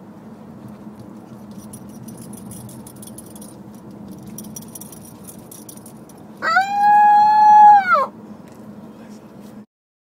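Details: An 8-week-old female Siberian husky puppy gives a brief, high, steady howl over a low engine rumble on her first car ride, in September 2012.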